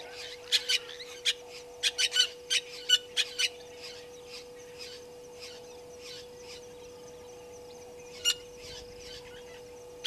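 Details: Painted dogs at a waterhole on Djuma Game Reserve in the Sabi Sand, South Africa, on a live waterhole camera at 17:49, 04/03/2022. Sharp, high-pitched chirps are scattered in an uneven run, then fainter twitters and one final loud squeak. A constant electrical hum sits beneath.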